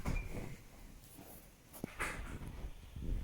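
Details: Indoor knocks and soft thuds, like a cupboard or sliding door being moved, come over a low background hum, with no animal call.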